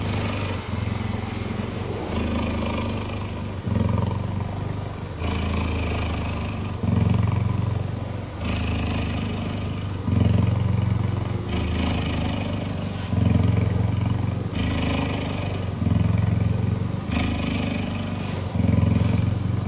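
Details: Cheetah purring while cuddling: a deep, rumbling low purr in steady alternating phases that switch roughly every one and a half seconds, with soft rustling hiss above.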